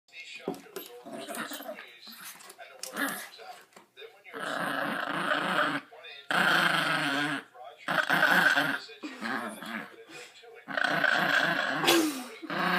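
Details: Pet dog growling and grumbling while playing tug-of-war and being petted indoors; rough, throaty growl bursts of a few seconds each, separated by short pauses, with some human voice mixed in.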